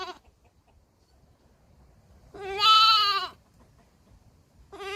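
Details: Baby goat bleating: one clear wavering bleat of about one second mid-clip, with the tail of another at the start and the onset of a third at the end, quiet in between.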